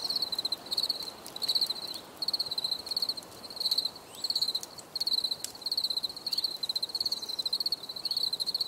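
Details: Grillons heard as a bright, high trilling chirp broken into evenly spaced groups of rapid pulses, several bursts every couple of seconds, with occasional soft clicks.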